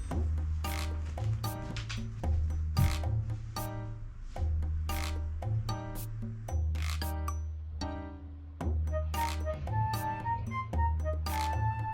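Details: Soft background music with plucked notes and a steady bass, plus faint rubbing sounds.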